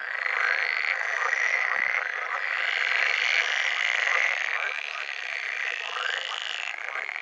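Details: Pool frogs, Pelophylax lessonae, at mating time; an unbroken buzzy, churring wall of calls from many frogs, steady in loudness, with faint pulsed croaks underneath.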